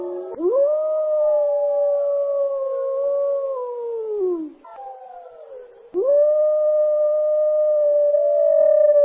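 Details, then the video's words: Wolf howling in a forest; two long, clear, steady howls, the first rising then holding level before sliding down and fading, a short break, then a second howl starting abruptly and sustained, with faint harmonics and no other sounds. "WOLF HOWLING | L' ULUATO DEL LUPO"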